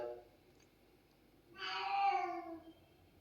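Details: Domestic cat answering with a vocal 'ho ho' when its mother is spoken about; a single drawn-out, harmonic meow lasting about a second, gently falling in pitch, after a quiet stretch with faint low tones.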